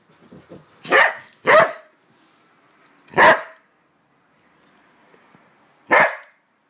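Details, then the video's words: Border Collie barking as its owner counts down, reacting to the counting; sharp single barks, two close together, then one more after a pause and another near the end, with spoken countdown words around them. "Gyps hates counting (silly border collie)"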